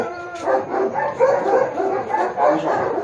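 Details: At a Baguio City dog photo shoot on October 21, 2023, a Japanese Akita lets out quick, rough yipping barks, about four a second, in an unbroken excited run.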